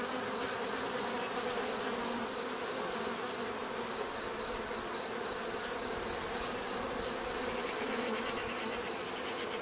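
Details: Continuous bee hum, thick and even, with layered low buzzing notes that swell slightly. A faint steady high-pitched whine persists underneath for nearly ten seconds.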